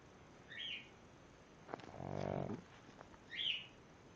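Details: Pug Mr. Douglas, fast asleep, lets out one rasping, buzzing snore of under a second, framed by two short high chirps before and after in a quiet indoor setting.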